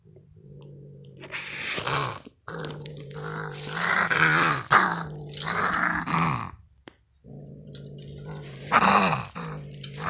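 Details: Gray fox with a funny, broken-sounding voice, at a lake. Low, steady buzzing tones overlaid with harsh, breathy rasping bursts, given in several drawn-out phrases separated by brief silences.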